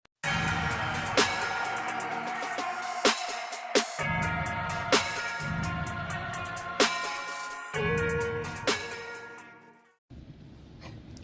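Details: Hip hop style electronic music with a steady beat and sharp percussive hits, a brief drop near ten seconds, and no animal sound.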